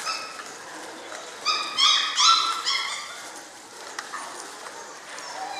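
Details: Six-week-old German Shorthaired Pointer puppies, a litter of seven, produce a quick cluster of high whimpers and yips in the middle, each a short harmonic note, then fade to faint whines and quiet room sound.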